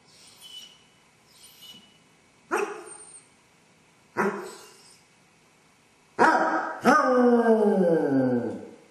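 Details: Lone Basset hound with separation anxiety, recorded by a home camera as it howled and whined for an hour. Faint yips open, then two sharp barks, then two long, loud, quavering howls back to back.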